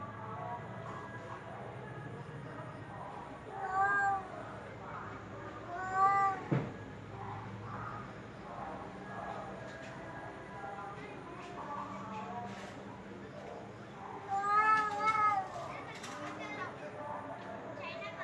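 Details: Domestic cat meowing several times over background chatter, with short arched calls near four, six and fifteen seconds, the last one loudest and longest, amid voices and household noise.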